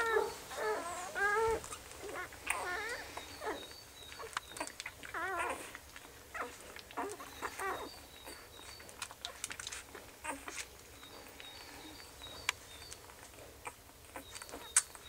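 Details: Puppies squeal and whine in wavering, rising and falling notes, busiest in the first half, then thinning to sparse squeaks among clicks and light rustling.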